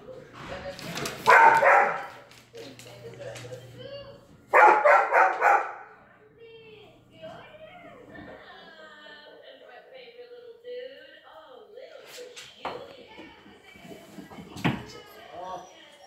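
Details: Dog at a reunion, excited: two loud, harsh barks early on, followed by soft, wavering whines that rise and fall, with human voices and exclamations around it.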